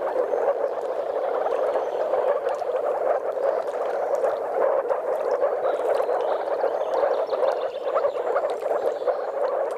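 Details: Spawning-site chorus of courting moor frogs, with some common frogs present, Mecklenburg-Vorpommern, Germany; constant massed gurgling, bubbling calls, with no pauses and with many individuals overlapping.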